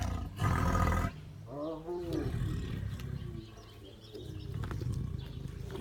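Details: Siberian tiger feeding, opening with a loud, gravelly growl that lasts under a second, followed by a softer wavering voice and low rumbling background noise.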